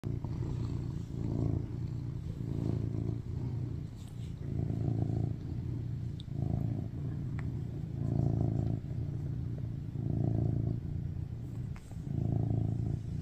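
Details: BabyCharlie, a rescued male tuxedo cat born in 2019, purrs loudly while lying on top of his owner craving cuddles; a deep low rumble swells and fades in breath cycles about every one to two seconds, with faint clicks above.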